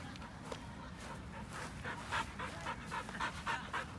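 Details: Pasepon, an elderly white Samoyed on a lawn, pants in quick, steady breathy bursts, nearly four per second, each a soft airy rasp that grows slightly louder toward the end.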